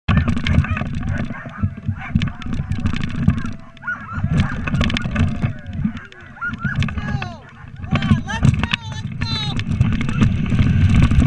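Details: A six-dog Siberian Husky sled team leaves the starting chute at the 2018 Doty Dog Days of Winter race, yelping, barking and howling in an excited, overlapping chorus over low rumbling noise.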